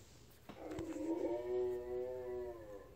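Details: Blue Bay Shepherd female, pet dog prompted to vocalize: a short wavering howl-whine about two seconds long, beginning after a soft thump, holding a level tone with a slight rise and fall, quiet room behind.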